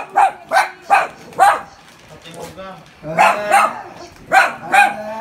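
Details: Poodles frightened by a pig give four quick yaps in a row, then a pause filled with a thin whining tone, then another cluster of bright barks.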